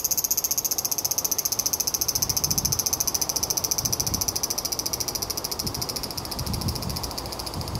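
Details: Large brown cicada in autumn, giving its last calls of the season after summer: a loud, dry, sizzling buzz pulsing about three to four times per second and fading slightly, with soft low thumps underneath.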